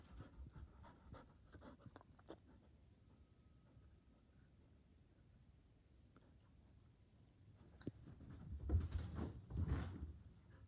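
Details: A Border Collie indoors by the couch, eager to play ball, pants in a few quiet breathy bursts after a long lull. Loud, rapid huffs cluster near the end over a low room hum.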